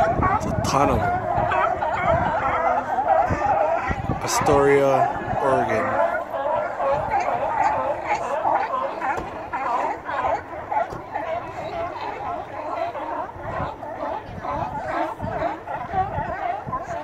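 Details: Crowd of sea lions at Astoria, Oregon, captured on a Note 4 phone: steady wall of rough, overlapping barks from many animals, with a brief human voice near the middle before the barking chorus resumes.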